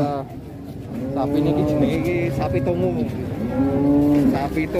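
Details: A cow on an Indonesian farm gives steady, droning moos, one in the middle and a second shorter one near the end, with murmuring voices behind.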